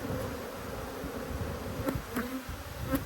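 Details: Honey bees from two hives cross at being opened for inspection. A steady low droning hum runs throughout, with a brighter overtone above. Brief clicks mark bees passing close by.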